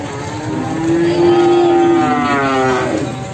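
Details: Jumbo Simmental cattle at the Sragen animal market: a long, low, harmonically rich moo held for about a second, followed by a shorter, slightly higher moo, over steady market bustle and background noise.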